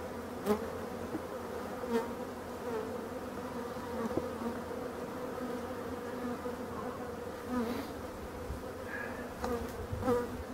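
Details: Steady, even drone of European dark bees from an abandoned hive being restored, a continuous low hum with soft passing buzzes and a few faint clicks throughout.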